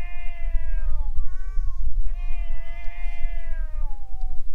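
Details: Fighting stray cats near a boat give drawn-out, wavering yowls, a falling wail followed by a longer rising-and-falling howl, nearly continuous, over low background rumble.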